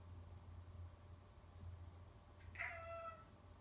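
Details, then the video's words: Domestic cat meowing at its owners indoors, recorded November 24, 2018: a single short falling meow under a steady low hum. "meowing at us"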